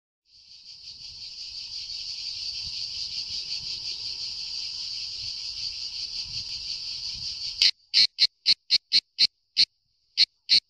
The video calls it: La Cicala